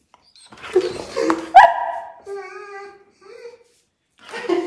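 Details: German Shepherd Sophie booped on the nose in a small room: a person speaking and laughing, then a long, wavering whine that drops in pitch, followed by a shorter rising whimper.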